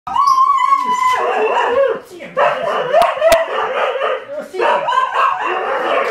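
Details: A Kelpie, excited by cats, opens with a high, wavering, whining yowl, then breaks into rough, rapid bursts of barking and yelping, pauses briefly, and ends with a final excited run.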